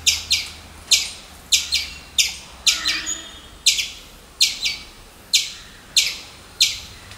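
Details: Sharp, scratchy chip calls from a squirrel come about every half second to second, crisp and high, with a soft low rumble in the background.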